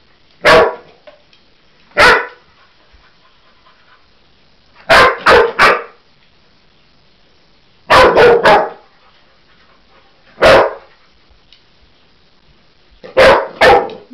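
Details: Cocker Spaniel Husky mix dog reacting to a toy animal, seeing it for the first time: loud, sharp barks over about fourteen seconds, some single, others in quick bursts of two or three, with silent pauses between.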